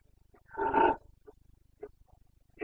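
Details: Carpathian stag, a red deer, roaring in the breeding season in the Bucovina mountains on 29 September 2022: a single short, hoarse bellow of about half a second, followed by faint grunts, with a steady low ticking in the background.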